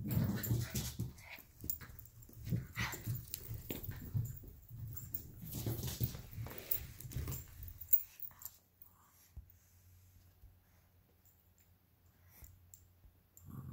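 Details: Two small dogs playing indoors and fighting over a toy fox: Luigi, a 12-week-old Alaskan Klee Kai cross Pomeranian puppy, and Pooki, a 7-year-old American Eskimo cross Chihuahua. Low rough growling and huffing for eight seconds, then quiet.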